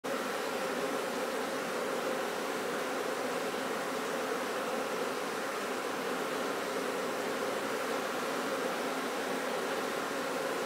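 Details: Honey bees at a commercial bee farm producing honey, with mustard flower fields noted; a dense, steady swarm hum fills the recording without pause, a broad even buzz with no breaks or other clear sounds.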